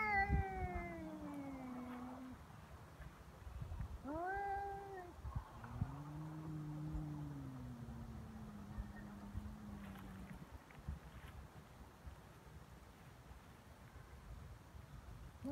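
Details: Feral cats squaring off in a fight on Cat Day, February 22, in Japan: drawn-out wavering yowls, first a falling wail, then a short rising cry and a long low moaning growl, over a quiet outdoor background.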